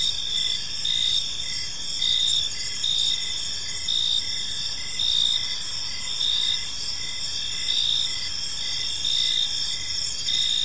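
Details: Park crickets at dusk keep up a steady high chorus, short chirps rising in rhythmic pulses about once a second above continuous shrill trilling and faint low background noise.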